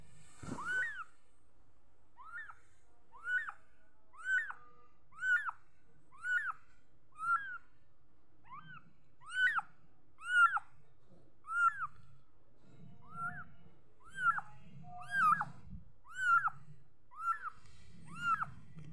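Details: Young cat meowing repeatedly, about sixteen short, high, arched mews at a steady pace near one per second, with an occasional soft low rumble beneath.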